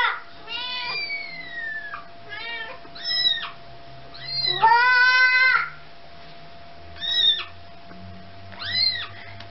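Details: Domestic cat attempting to recover its kitten from a baby's hands: repeated high meows of varied length, one long drawn-out falling call and a loud sustained one, with low indoor rumble and a faint hum beneath.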